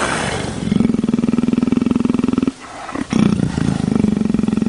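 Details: Steady, rapidly pulsed low purr from a leopard, a deep rattling throb that breaks off briefly midway, then resumes just as strongly.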